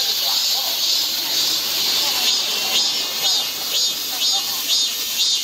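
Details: Cicadas in midsummer, Guro-gu park: a steady high-pitched sizzling drone with gentle rhythmic surges roughly twice per second and faint low voices beneath.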